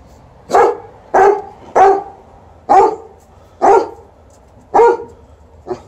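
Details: Dogs TJ, a Golden Retriever, and Liza, an Alaskan Malamute, helping with a shoe-shine: seven loud, sharp barks in quick succession, roughly one every second, with a low hum underneath.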